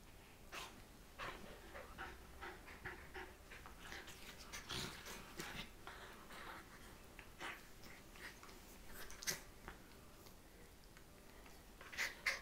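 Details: Two Scottish Terriers, Mia at 12 weeks old and Katie at 2 years, wrestle on a bed in the morning. Quick breathy pants and short rough growl bursts come in uneven clusters, with rustling bedding throughout.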